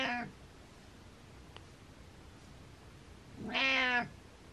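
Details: Domestic cat meowing as a wake-up call for its owner: the tail of one meow at the start, then a strong drawn-out harmonic meow, rising and falling, after a quiet pause indoors.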